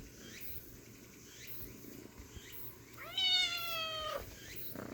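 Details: Small kitten giving a single high, thin meow that starts rising and then slides steadily downward over about a second, after a quiet stretch of faint background rustling.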